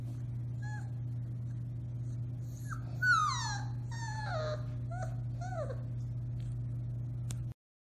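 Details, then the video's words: Four-week-old Alaskan Malamute puppies of one litter howling, recorded March 30, 2021: several thin, wavering high cries that rise and fall, overlapping in a short chorus over a steady low hum. "Puppy Howling, 4-weeks old"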